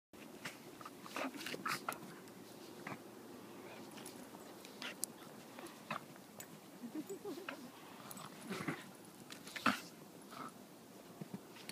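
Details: Two puppies wrestling in fresh powder after a snow storm: Olive, a 9-month-old purebred Toy Australian Shepherd, and Ellie, a 6-month-old blue heeler Australian Shepherd mix. Low soft growls and snuffles, with sharp clicking snaps of play-biting scattered throughout.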